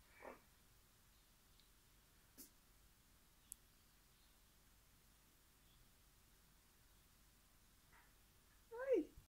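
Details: A female meerkat at Blesfontein Sanctuary, frolicking in a pillow stuffed with alpaca fibre, gives a few brief harmonic calls, ending in a louder squeaky call that slides downward.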